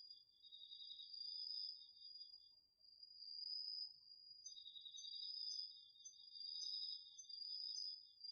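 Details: Autumn night chorus of crickets and other insects in a garden vegetable patch, recorded with a DR-40X: a steady high trill runs throughout while a lower pulsing trill drops out briefly midway, then resumes.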